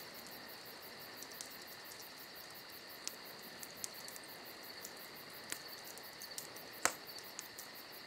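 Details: Night crickets in summer keep up an unbroken high chirring chorus; campfire crackles and small pops punctuate it, one louder snap near the end.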